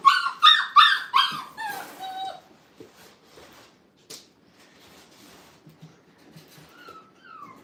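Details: Five-week-old Brittany puppies in a training kennel, put in a playpen for the first time: a quick run of about five high, harmonic yips and whimpers in the first two seconds, then quiet shuffling and a faint thin whine near the end.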